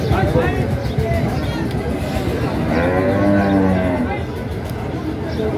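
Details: Bull cattle at a livestock market where buyers bargain before a sale. A single deep, harmonic moo swells around the third second over a steady rumble of crowd noise and chatter.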